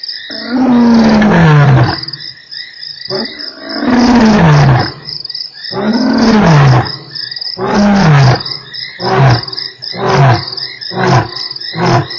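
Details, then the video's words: Lion roar recorded at Nkorho on 3 March: long, powerful moaning roars sliding downward in pitch, then progressively shorter deep grunts in quickening succession, with steady insect and frog trilling behind. "lion roars"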